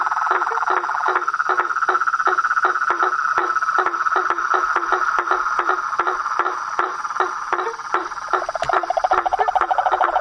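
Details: Wild toads, frogs and treefrogs: rapid tapping calls, nearly three per second, beat against a constant shrill trill, growing busier and more rattling toward the end.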